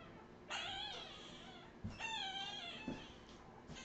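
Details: Australian Terrier puppies, Redwing litter of 2018: two strained, high-pitched whines of under a second each, wavering and tapering, with soft thumps between them and a low background hum.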